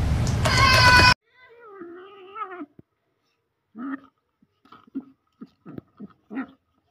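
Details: Domestic cat in a funny pet compilation, giving a drawn-out wavering meow with a stacked harmonic tone, followed by a string of short soft chirps and mews, after a loud burst of noise at the start.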